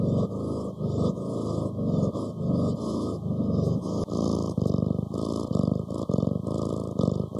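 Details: Domestic cat purring: a low, steady rumble made of rapid, slightly uneven pulses that rise and fall in loudness over several seconds, with a gap in the middle range as if filtered.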